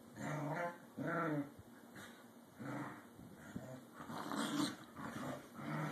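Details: Two corgis play and vie for dominance, giving a series of short, growly barks and grumbles in bursts about a second apart.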